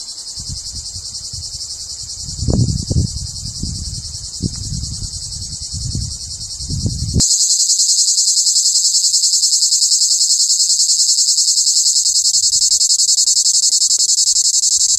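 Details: A male plebeian cicada (Lyristes plebejus), Europe's largest cicada at about 5 cm, sings tirelessly to attract females, its hollow abdomen pumping like a maraca to amplify the tymbal song: a continuous, high, hissing buzz growing louder partway through.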